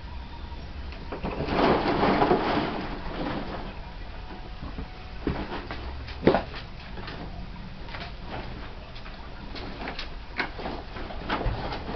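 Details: Thumps, scrapes and sliding knocks come and go over a steady background hum, with no animal call heard.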